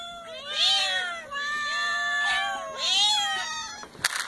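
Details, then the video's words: Cats meowing: a run of about five clear, tonal meows, each rising and then falling, some drawn out and overlapping, with a short sharp noise at the end. "cats meowing"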